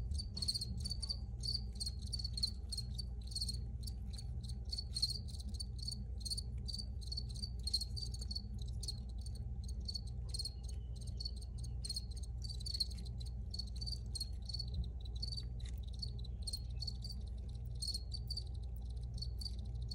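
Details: Several crickets chirp in a continuous, shimmering high trill, pulses repeating rapidly and evenly for the whole stretch over a low, constant background hum; an original recording made for relaxation.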